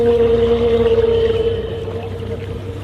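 An underwater whale call: a steady, drawn-out tonal moan that holds one pitch, then fades.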